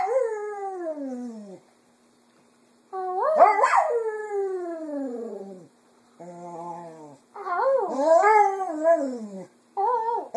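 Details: Female pet Cocker Spaniel singing in the afternoon in imitation of its owners' voices: a series of drawn-out falling howls separated by silent pauses, with a steady low tone, then a wobbling, warbling yowl and a short final note.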